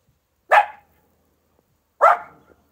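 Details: Dog playing in fresh morning snow, two sharp loud barks about one and a half seconds apart, with silence between them.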